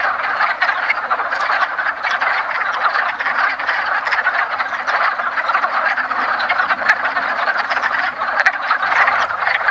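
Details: Many wood frogs calling together at a woodland pond at the first hint of spring, during the yearly mating ritual; steady packed clacking and chuckling croaks, overlapping into an unbroken rattling wall of sound.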